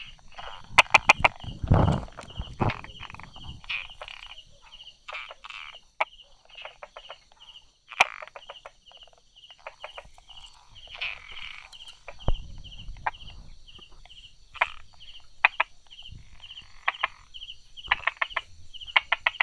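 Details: Among rock cracks and little grass tufts, a Brauer's tree frog calls 'da-da' on a July 2016 morning: bursts of quick clicks early on, then scattered single knocks, with a continuous pulsing insect drone behind.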